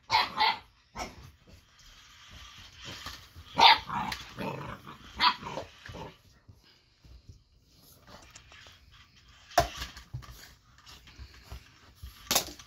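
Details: Eight-week-old Boxer puppy Baron barks at the moving, lit-up Ollie robot toy: irregular sharp yelps and barks, some loud and abrupt, spread across the clip amid scuffling household noise.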